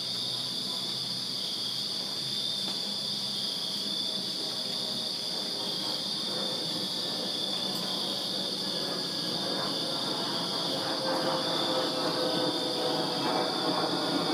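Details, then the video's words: Virginia backyard crickets on a summer night sustain their high, continuous trill while a broad rushing rumble, like distant passing traffic or a train, swells in and grows louder toward the end. "Crickets Chirping Summer Night in Virginia"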